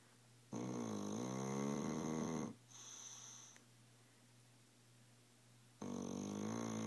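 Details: Sleeping dog Tilly snoring hard: a long, buzzy, rattling inhale, a short wheezy whistle, a pause of a few seconds, then another harsh snore begins.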